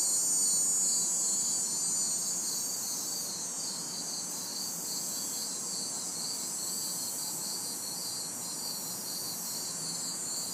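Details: On a hot, humid summer night in the city, crickets and cicadas fill a backyard with continuous high buzzing and a regular trill pulsing roughly three times per second, while distant traffic murmurs softly below.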